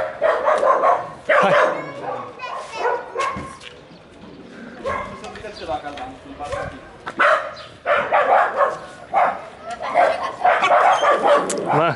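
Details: Puppy named Ozi, offered for adoption, barking and yapping in repeated high, ringing bursts with brief pauses between, mixed with people speaking Romanian and coaxing the dog home.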